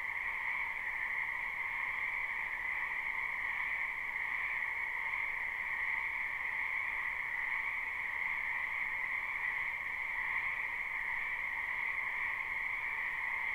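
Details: A large chorus of frogs calling in a spring wetland, recorded live without looping, keeps up a continuous shrill pulsing wall of sound, with an upper band stronger than the lower one and no breaks or other noises.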